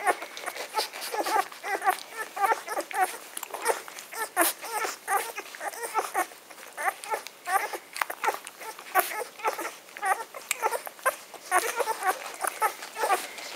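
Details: Magyar Vizsla puppies, a litter ten days old, recorded indoors; a crowd of overlapping high squeaks and whimpers in constant rapid chatter.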